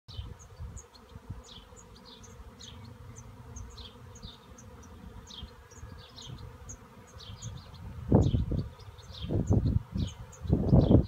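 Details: A honey bee swarm in a cherry tree gives a low, steady droning hum, with faint bird chirps above.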